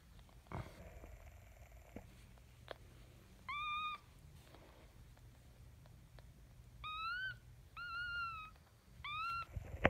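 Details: Maltese terrier bitch giving birth to her first puppy, whining in four clear tonal cries of about half a second each, level then slightly falling, spaced over several seconds, with a steady low hum beneath.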